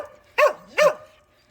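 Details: Cheondungi, a pet dog, just back from a walk, gives two short, sharp barks about half a second apart, each with a brief rise and fall in pitch, over a quiet background.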